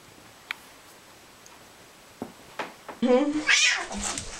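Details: Domestic cat meowing indoors: after a few soft clicks, a loud harmonic meow rises then falls and tails into a lower drawn-out note, with a person speaking Spanish close by.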